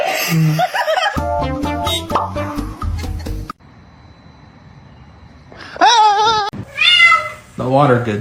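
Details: Pet cat uttering loud, wavering, strained meows in quick succession near the end, after a stretch of rhythmic music mixed with voices; a final rising cry trails off.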